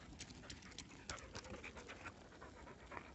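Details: Border Collie, a sheep-herding dog, panting rapidly: quick rough breaths repeated several times a second over steady noise.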